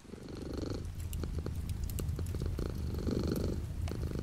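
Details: Domestic cat purring steadily with light rain outside the window: a low, continuous rumbling purr with soft breathy swells as the cat breathes in and out, under faint scattered raindrop ticks.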